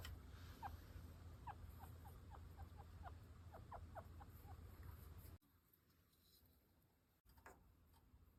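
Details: A chinchilla squeaking in displeasure while being brushed: a quick series of short, high chirps, about a dozen in five seconds, over a steady low hum, then a brief quieter stretch.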